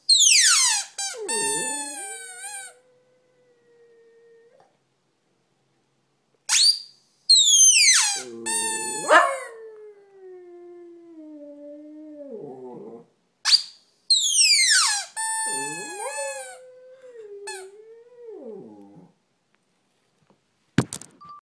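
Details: Dog howling indoors in three long drawn-out bouts, roughly every six seconds. Each starts with a high sliding yelp, drops, then holds a steady, wavering mid-pitched tone. Quiet pauses fall between bouts, and a sharp click comes near the end.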